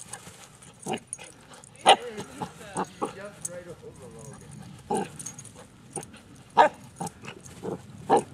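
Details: Sandy, a Cavachon puppy (Cavalier King Charles Spaniel and Bichon Frise cross), barks at a child while trying to get him to play and chase her; short sharp yaps every second or so, mixed with a child's voice and chatter.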